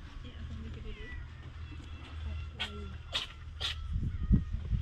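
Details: Free-roaming cats on Aoshima, Japan's cat island, lounging after a meal; a few short meows with harmonic bands rise over low background rumble and human voices.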